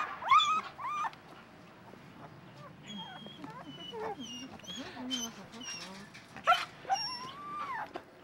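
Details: Whining Siberian Husky puppies from the last litter before the mother was spayed. High, wavering whines and yips come at the start and again toward the end, with quieter murmuring voices between them.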